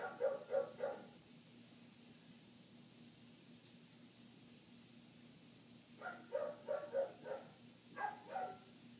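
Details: Muffled barking from a neighbour's dog that kept on for eight minutes, recorded inside with closed windows: a quick burst of three barks, a pause of several seconds, then a run of five and a final pair, over a low steady hum.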